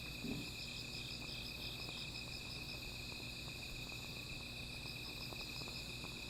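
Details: Small fire at night with insects singing, a steady shrill metallic trill and a pulsing upper tone early on, accompanied by a brief rustle at the start and faint crackling beneath.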